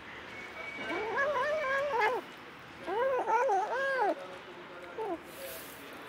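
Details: Mother cat with a litter of kittens, including adopted orphans; several arched, harmonic meows in two bursts, a drawn-out cry then a quick series of overlapping mews, with a brief short mew near the end.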